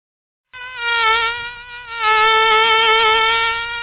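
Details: Mosquito in flight: a thin, steady, nasal whine that starts abruptly after half a second, rich in overtones, with a slight wavering in pitch and a small dip in loudness before swelling again, on a silent background.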